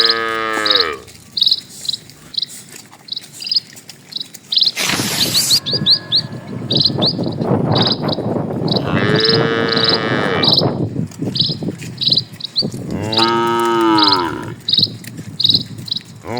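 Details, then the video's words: Cattle in a herd of dozens walking along a tranquil rural road; a short moo opens, then two longer lows follow several seconds apart. A brief noisy burst and constant high-pitched bird chirping run underneath. "PULUHAN SAPI MELINTASI JALAN PEDESAAN, SUARA SAPI"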